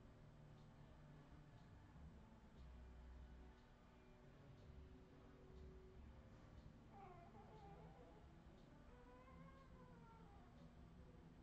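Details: Redwing Australian Terrier puppies recorded in 2018 give thin, wavering whines late in the clip, rising then falling in pitch, heard above a constant low rumble of room noise.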